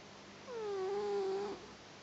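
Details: Newly adopted pet cat asleep indoors, giving a single nasal snore: a steady whistled tone held for about one second, then fading, over a quiet low hum.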